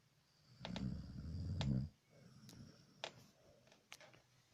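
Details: Dog snoring with a single long, low, rattling snore of over a second, followed by soft breathing and a few sharp clicks.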